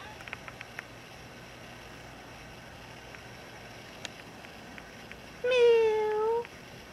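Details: Indoor female cat, once a stray, asks to be let outside with a single loud, level, slightly falling meow near the end, after several seconds of near silence with faint clicks.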